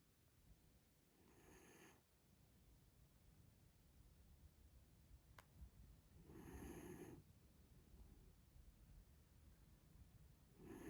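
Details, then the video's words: Maro, a mame Shiba Inu, snoring while asleep: soft, faint breathy snores in three separate bursts about five seconds apart, each lasting under a second, over a quiet indoor background. "豆柴まろ、いびきをかいて寝る shiba inu"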